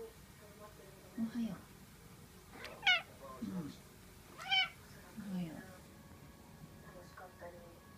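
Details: Chatty Norwegian Forest cat indoors, recorded 12 April 2015, giving several short chirping meows, some rising and some falling, spaced about a second apart over a steady background hum.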